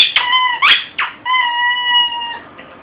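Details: Oski, a shih tzu indoors in a small room, frantically destroying and eating a squeaky toy; long, steady, high squeaky tones broken by short sharp squeaks, with a brief exclamation from a person.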